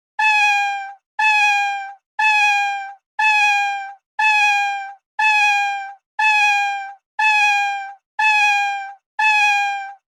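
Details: Ten drawn-out, loud, even-pitched cat meows repeated regularly once a second, each ending with a slight drop, in otherwise quiet surroundings.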